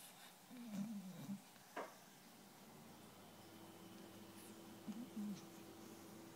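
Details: Japanese Akita inu snoring while asleep indoors: two soft, low, wavering rasps a few seconds apart, each about half a second long, over a steady room hum.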